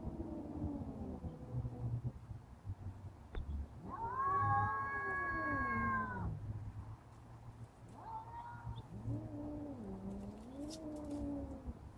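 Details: Rousseau the cat confronting a bully cat, trading caterwauls: low wavering growls, then a loud rising-and-falling yowl lasting about two seconds, a short higher wail, and a final undulating moan over a constant low hum.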